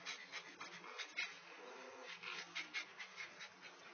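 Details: A Great Dane, apparently being sexually harassed, pants in quick, breathy huffs with a faint whimper now and then.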